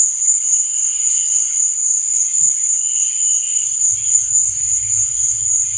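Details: Crickets at night: a dense, continuous high-pitched trilling chirp that stays steady throughout, with soft low bubbling sounds joining after about four seconds.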